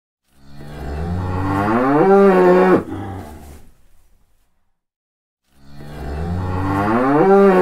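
A cow gives a long, deep moo that rises and swells, then a second one begins.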